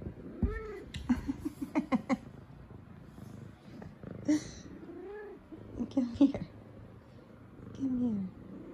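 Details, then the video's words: F2 Savannah cat, a female pet indoors, greeting her owners home from work with head nudges: several short arched meows and chirps, with a woman speaking and laughing and faint music behind. "Cutest Good Morning Meows From Sweet Savannah Cat"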